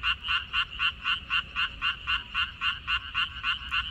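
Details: Frogs croaking in a water dropwort field on 14 May 2021: a steady run of short, bright, rasping pulses, about four per second, evenly spaced and holding one pitch throughout, with a faint low rumble beneath.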